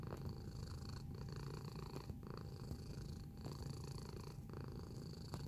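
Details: Close-up domestic cat purring: a continuous low rumbling throb that swells and eases with each breath, with short dips in the purr roughly every second, plus a faint steady high hum in the background.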